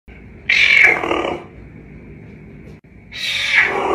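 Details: Caracal giving two loud, harsh calls that start high and slide downward, each lasting about a second, separated by a pause with a steady high background hum.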